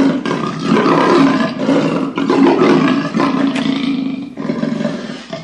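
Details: Leopard roaring in one long, nearly unbroken stretch of coarse, grating rasps with a deep growling undertone, the sound dipping briefly only twice.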